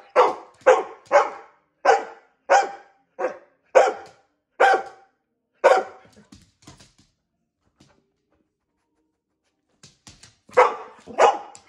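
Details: Female dog barking because her owner wanted to brush her: a run of about ten firm barks, then several seconds of near silence with faint soft sounds, before two more barks close the recording.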